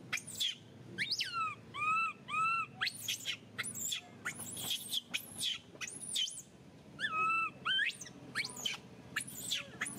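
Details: Baby Mila, a monkey still relying on milk, cries during weaning by her mother Malika; dense run of arched whistled wails mixed with shrill high squeals, nearly continuous, with brief pauses between bursts.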